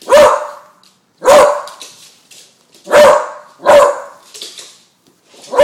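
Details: Bailey, a young female beagle of 10 months who fears balloons, barks steadily at them: five loud, punchy barks roughly one second apart, each trailing off quickly.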